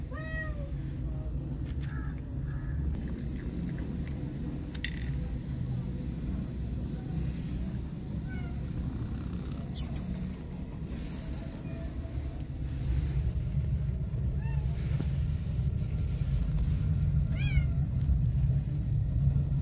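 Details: Growing fluffy kittens giving a few scattered, high, bent mews spaced several seconds apart, amid brief clicks, bumps and a low rumble that swells louder toward the end.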